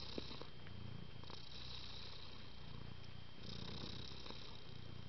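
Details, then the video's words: Domestic cat purring quietly and evenly, a low throbbing rumble shifting with each breath, airy hiss during exhalations, one small click near the start and faint steady hum. "Исключительно спокойный кот 猫 cat gato pusa kucing con mèo 고양이"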